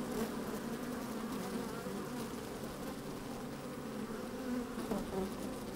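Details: Hive of honey bees opened on a sunny day, sound captured among the moving bees: steady, grainy hum with occasional short buzz flares and faint scratching from bees crawling.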